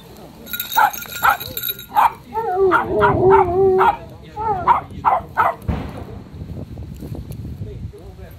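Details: Miniature Pinscher playing with a friend on the grass: a series of short sharp yips about twice a second, then a drawn-out wavering whine with rising and falling pitch, more yips after it, and a human voice now and then.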